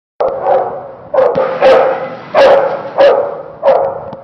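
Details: Dog barking at an indoor climate-controlled dog park with a pool on a typical Saturday: six loud, harsh barks spaced roughly every half to one second, each a broad burst with strong mid-range energy.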